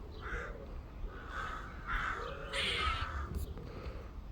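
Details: A squirrel in a back-garden tree gives harsh, nasal barking notes in an irregular series, with low rumbling background noise.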